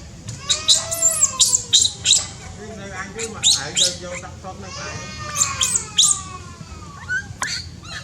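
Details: Newborn baby monkey in Cambodia, born high in tall trees: a run of tonal, harmonic calls that slide downward, mixed with sharp high squeaks and chirps in irregular bursts, over a steady low rumble.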